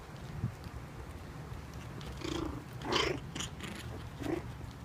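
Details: Cairn Terrier and Papillon cross pups, four weeks old, brawling in play: a low noisy background, then three brief squeaky yelps in the second half, the middle one loudest.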